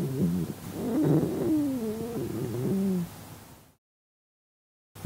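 A red panda's stomach growls in a low, wavering gurgle that rises and falls for about three seconds.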